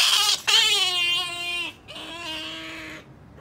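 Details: Female pet otter Sakura wanting jerky, giving a high whining cry that slides slightly downward, then a second longer, lower and softer whine after a brief break, indoors.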